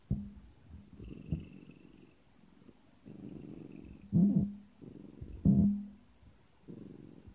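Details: Siamese cat named Sean at home 'saying No' to its owner: short, low, throaty grumbling vocalisations in bursts, two louder rumbling 'no' calls around the middle, with quiet purr-like rumbles between; a person briefly murmurs agreement afterwards.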